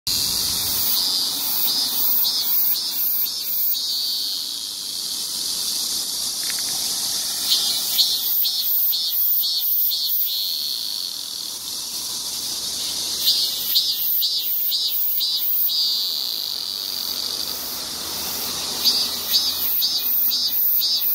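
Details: Male cicada making a loud shrill droning noise; a continuous high buzzing hiss with pulsed bursts repeating in rhythmic series, swelling and easing in waves.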